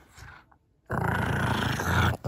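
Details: Female pug Kongzi, aged six, turning fierce over a bone chew: after a brief near-silence, a sudden steady deep growl holds for more than a second, then cuts off and restarts.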